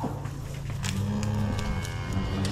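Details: Cattle being moved home: a low, drawn-out moo rises and falls beneath background music, with scattered knocks and rustling.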